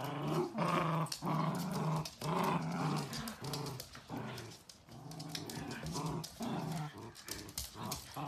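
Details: A miniature dachshund at play, rumbling out repeated growls, each a rough harmonic burst of under a second, coming nearly twice a second with uneven spacing and small gaps between them.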